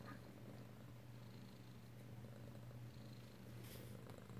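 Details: Close-up of kittens at home in Alabama on 2/7/18, a kitten still purring after rough play with a littermate; a continuous deep, even rumble holds throughout, with faint rustling.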